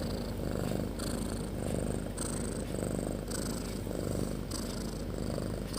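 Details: Snopi the cat asleep with her kittens, snoring loudly: a deep, rough drone under rhythmic breathy rasps that rise and fall about every second.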